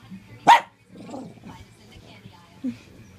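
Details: Two Shih Tzus, Mav and Murph, wrestling and duking it out: one sharp, loud bark near the start, then soft low grumbling noises and a brief short yip, with a person's voice faintly behind.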